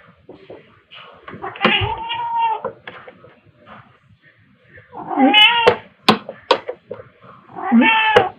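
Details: Pet cats Pepper, a black cat, and Kofi, a tabby, at play with fluffy toys indoors in March 2021; bursts of meows amid speech and knocking, with three clear harmonic cries spaced a few seconds apart.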